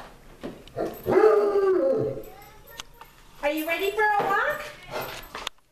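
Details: Basset hound named Rufus out on a walk gives two drawn-out, harmonic baying howls about a second each: the first level then falling, the second rising, separated by a quieter pause.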